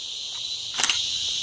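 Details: Cicadas give a loud, steady, high-pitched buzzing drone without pause on a trail in humid highland forest at Ciénaga de Manabao, Armando Bermúdez National Park, Dominican Republic, during cicada season; deafeningly loud.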